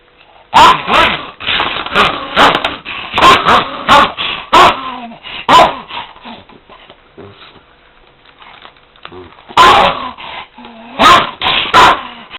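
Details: Dog lunging at a vacuum cleaner: rapid, harsh barks and snarling growls in two main bursts separated by a quieter stretch of a few seconds, with the cleaner's motor droning throughout.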